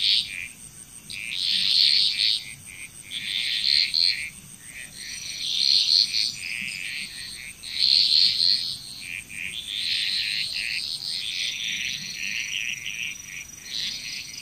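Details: Frog chorus in Bali, Indonesia: pulsing waves of raspy trilled croaks rising roughly every two seconds, several callers overlapping, with a constant high-pitched insect drone in the background.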